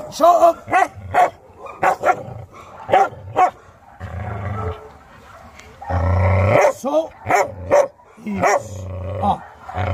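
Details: Maike, a Chow Chow in dog training, arriving amid chaos and biting; a rapid series of sharp, harmonic barks repeated roughly every half second, mixed with human speech and background music.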